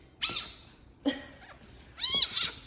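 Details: A pet fennec fox (Vulpes zerda) gives three shrill, squealing cries, the last longest and wavering, while playing after dropping something.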